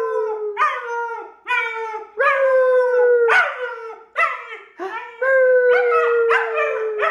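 A German Shepherd puppy howls in long, high, wavering notes that slide gently downward, again and again.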